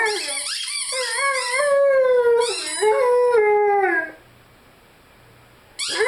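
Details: Rhodesian Ridgeback named Lyle, a pet dog, howling and singing along with his favorite squeaky toy: long wavering, harmonic howls sliding downward for about four seconds, then near silence before a new howl begins.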